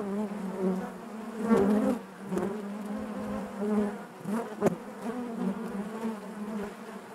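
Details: A crowded honey bee hive hums in a constant low drone, swelling and fading in soft waves, with a few abrupt clicks and sharp close buzzes standing out above the mass of wingbeats.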